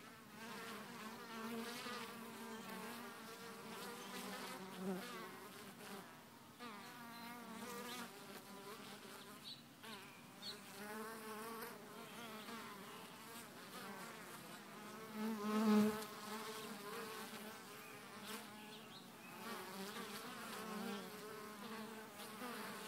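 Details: Busy hive entrance with honey bees flying in and out of Hive 1, some laden with bright orange pollen; continuous layered buzzing that shifts up and down in pitch, with a brief knock around sixteen seconds.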